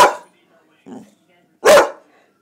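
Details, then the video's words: Boxer dog barking on command as its owner tells it to speak; a clipped bark at the start, a brief quiet spoken word, then one loud, harsh, full bark after about a second and a half. "the boxer dog who speaks"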